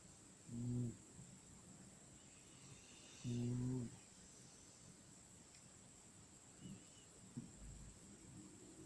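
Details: Sleeping cat snoring: two low, steady droning breaths roughly three seconds apart, each lasting about half a second, over a constant faint hiss.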